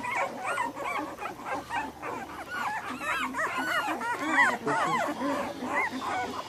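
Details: A litter of American Bully puppies, both males and females, from ABKC champion bloodlines, crying together: a dense chorus of high, arched whimpers and squeals that overlap continuously, several rising and falling yelps each second.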